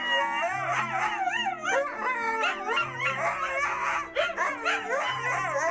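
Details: Siberian Huskies singing together, several wavering howls overlapping, rising and falling in long bends, with steady low musical tones underneath throughout.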